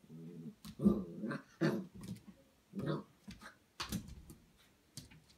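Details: A 2.5-month-old Golden Retriever puppy meets its reflection for the first time in a small room. It opens with a low rumbling growl, then gives a run of brief gruff barks and yaps at uneven intervals.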